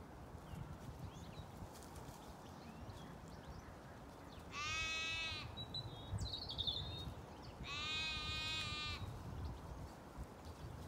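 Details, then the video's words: Two clear bleats from sheep in a Zwartbles flock of ewes and lambs on a regenerative farm in County Kilkenny, Ireland, heard during a walk through the flock; harmonic, wavering cries a few seconds apart over steady outdoor background noise. "A quite walk amongst ewes & lambs, with amusing moments of flock life"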